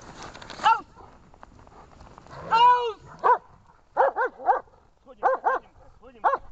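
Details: German Shepherd named Amur barking during protection training in Horlivka, 14 February 2021: a whining, rising call, then loud, harsh barks in pairs and singles toward the end, with a person's voice heard.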